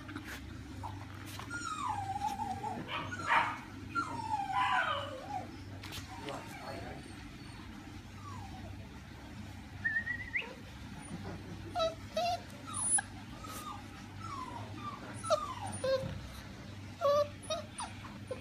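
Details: Male Spoodle puppy whining in thin, high, wavering whimpers with a few sharp yips, scattered in bursts across the recording, over a steady low hum and some faint human voices.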